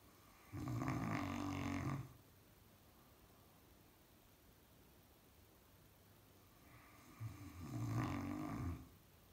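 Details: A male Caucasian Shepherd Dog snores in long, rumbling, low breaths, with a quiet pause between them.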